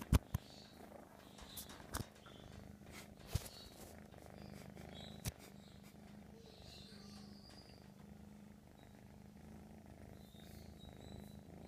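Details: Kitten of the American Shorthair breed purring without pause, a deep even rumble holding steady for the whole stretch, broken only by a few sharp taps and light rustling.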